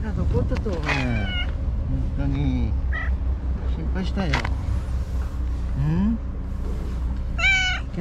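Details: White stray cat Shiro by the tetrapods, returned after vanishing for a day, calls amid a person's chatter: a few drawn-out meows, one sliding upward, against a constant low rumble of motor noise.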